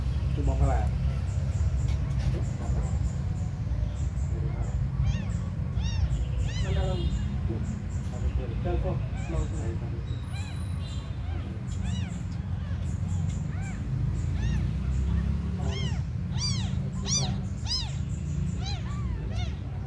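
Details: Abandoned kittens, described as the smallest in the world, mewing constantly: many high, arched, overlapping cries repeating through the whole stretch over a steady low rumble.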